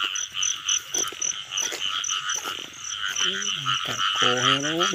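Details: Frog chorus in the rain season: rapid throbbing high croaks repeated several times a second, a faint piping tone above, and two short lower nasal calls near the end, amid handling noises.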